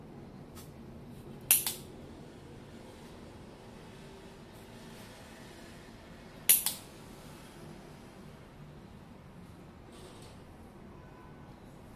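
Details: Quiet indoor room tone broken by two sharp clicks, with no animal voice heard.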